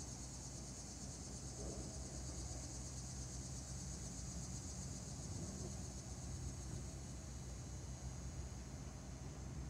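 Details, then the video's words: Neotibicen linnei, Linne's cicada, recorded 26 August 2017, giving a steady, unbroken high buzzing drone from start to finish, with constant low traffic rumble underneath. "Neotibicen linnei call"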